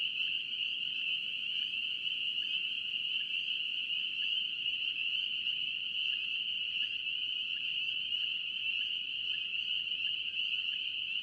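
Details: Many spring peepers from North Carolina peep together in an unbroken shrill chorus; short rising chirps of individual frogs flicker above the steady high ringing drone.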